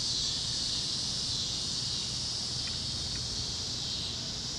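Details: Sunset over Kansas fields with cicadas chirping: a bright, even, sizzling high chorus fills the whole stretch, two faint short ticks midway, low wind-like rumble underneath.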